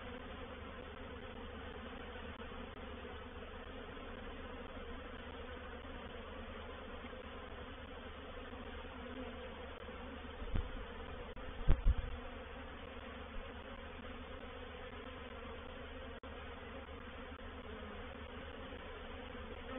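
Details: Swarm of honey bees, reproductive swarm, moving into a bait hive at Painted Peacock Manor, 04/07/21. Deep steady hum of the mass of bees, interrupted around the middle by a few dull thuds and knocks.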